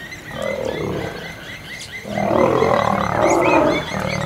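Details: Territory fight between an old male lion and young male lions in Kruger National Park. A short growl is followed by a louder, sustained bout of coarse snarling, with faint bird notes throughout.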